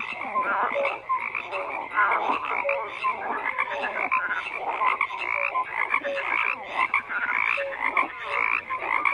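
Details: Many frogs croaking together in a dense chorus, with overlapping rattling croaks and short tonal notes layered continuously, no pauses, steady throughout.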